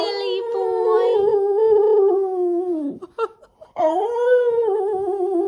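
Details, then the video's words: Skipper, a pet Boston Terrier indoors, howls to ask for belly rubs. He holds a long, steady, slightly wavering tone, breaks off briefly, then resumes with a second sustained howl. "Skipper the Boston Terrier howls for belly rubs"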